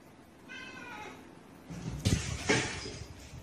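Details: Domestic cat giving one drawn-out, harmonic meow that slides downward, followed by loud thumps and a clatter.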